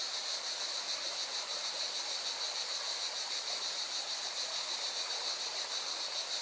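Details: Singing cicadas beside a mountain river in Valencia, Spain: a steady, high, shimmering buzz that never pauses, laid over the broad hiss of rushing water.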